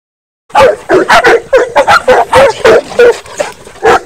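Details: Dogs, a miniature dachshund and Saint Bernards, running along the fence of a dog run; loud, sharp barks repeated about three times a second in an irregular volley after a brief silence.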